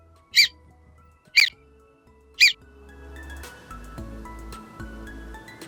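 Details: A groundhog (woodchuck, Marmota monax), a North American rodent that hibernates 5 to 6 months a year, gives three sharp, high whistles about a second apart, followed by soft music.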